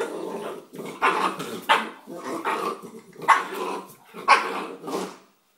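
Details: Playful three-month-old Bull Terrier pup with a rock makes a continuous string of rough, growling barks, five or six loud bursts over a grumbling undertone.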